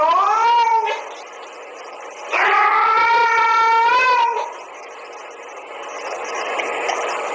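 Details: Domestic cat sounds tied to a female cat's mating call and a male cat's reaction to it: two wavering, drawn-out yowls, a short one first, then a longer rising-and-falling cry of about two seconds, over soft background hiss.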